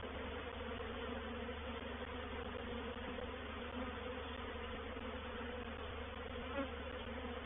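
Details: Honey bees of a reproductive swarm entering a swarm trap at Painted Peacock Manor on 04/07/21 make a thick, continuous droning buzz, many insects humming together at an even level, with one faint brief tick near the end.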